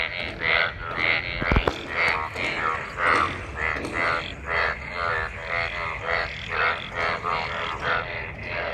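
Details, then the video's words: Many frogs gathered in rainwater after monsoon rain, mating: a dense chorus of harsh, pulsed, buzzy croaks overlapping roughly every half second, with one sharp click early on. "Frog mating,Frog Sounds after monsoon rain,Sounds of toad Croak croak ! frog mating and love in rain"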